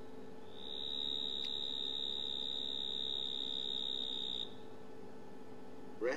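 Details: A mottled shovel-nosed frog (Hemisus marmoratus) gives a long, high, ear-piercing buzz lasting about four seconds.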